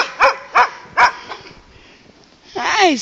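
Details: Landseer Newfoundlands at play at a dog boarding facility: three sharp barks about every 0.4 seconds, then a pause and a drawn-out whining, wavering vocalization at the end, with people greeting the dogs.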